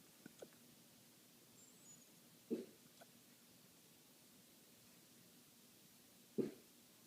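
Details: Puppy Frankfurter with hiccups that began while eating and scared him, sending him running for protection; two short sharp hiccup bursts about four seconds apart in a quiet small room, with faint breathing between.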